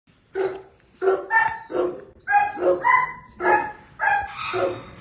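Cane Corso puppies giving a run of short, high, tonal barks and yips in quick succession.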